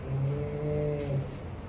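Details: Bubzee, an aggressive Rottweiler, growling in rage at his owner while being scolded and told to go inside; a steady low rumbling growl with a harmonic tone, lasting about a second before fading.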